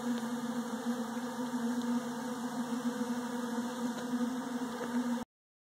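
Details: Honey bees feeding on Bee Pro in 71-degree weather, 21 December 2013: an unbroken low buzzing drone over hiss, ending abruptly into silence.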